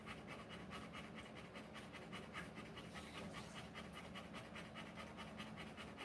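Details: Rottweiler in labour, giving birth to puppies, panting fast and evenly, a little over two breathy pants per second, over a steady low background hum.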